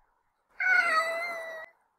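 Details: A domestic cat gives a single drawn-out, slightly falling moan lasting about a second, a fearful meow made on seeing another cat for the first time.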